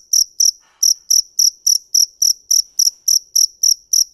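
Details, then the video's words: Field cricket (dế mèn) giving a steady run of high, clear chirps, about three or four per second, evenly spaced, with a brief soft scratchy sound near the start and an otherwise quiet background. "Tiếng dế mèn hay nhất 2017 - The crickets - Cricket"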